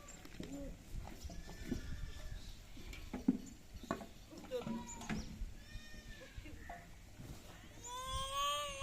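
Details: Goats kept on a farm, heard as wavering, nasal bleats near the end, two drawn-out cries over a low rumble of background noise and human speech.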